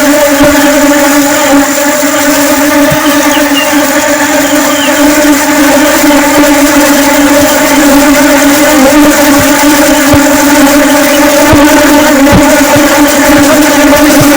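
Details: A dense, unbroken drone from flying honey bees. The low humming tone carries layered overtones at steady loudness, with faint ticking throughout.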